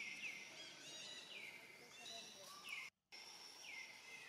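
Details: Lonely, hungry young monkey named Rainbow calling for its family, giving four thin whistled cries, each sliding down and then levelling into a steady tone, roughly one per second, with a brief dropout near the end.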